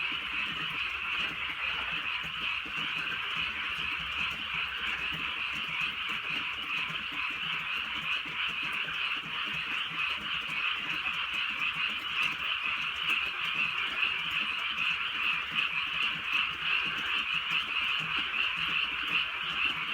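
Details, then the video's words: Countryside frogs at night during soft, drizzling rain, many voices merged into a continuous buzzing trill of croaks, steady in loudness from start to finish, scattered raindrop taps above. "개구리 소리"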